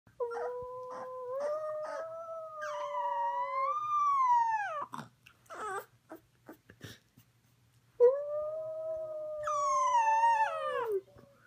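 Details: A Boxer puppy howls along with his human, giving long, wavering howls that slide down in pitch at the end.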